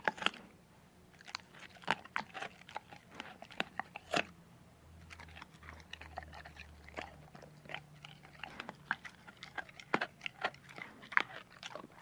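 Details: A dog eating food: sharp, irregular crunches and bites snap out over steady chewing, with louder cracks every second or two and a faint low hum underneath in a small indoor space.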